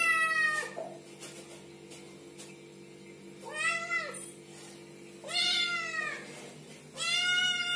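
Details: Kittens calling in repeated bright mews, arched in pitch, about five across the stretch, longer ones near the end, set against a faint steady hum.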